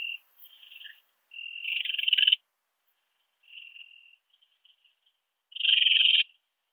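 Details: At Biedermannsdorf, Austria, on 8 August 2022, a ringed bush-cricket (Rhacocleis annulata) gives buzzy bursts of uneven length. One stretches about a second and swells in loudness; the others are shorter, separated by silent gaps.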